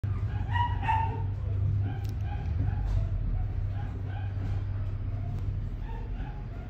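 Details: A Pomeranian puppy gives short, high yipping calls at an uneven pace over a steady low hum.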